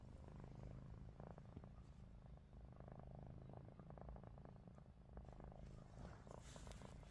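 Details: Ruby, a pet cat, snoring with her eyes open: a steady low rumbling drone that rises and falls with each breath, joined by soft scattered clicks and rustles.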